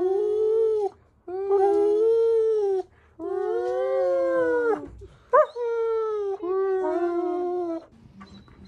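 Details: German Shepherd named Tiger, a chatty indoor pet, howl-talking in long steady moaning tones. Four drawn-out notes of about one to one and a half seconds each are separated by short breaths, with a brief sharp yelp between them.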